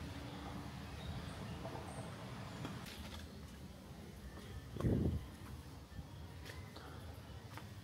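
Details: Low rumbling background noise with a brief thump, and no animal voice.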